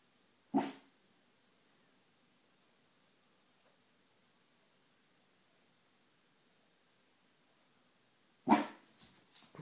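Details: Sixteen-week-old female Neapolitan Mastiff puppy guarding the home on command, giving a single short bark, then about seven quiet seconds before another bark followed by softer barks at the end.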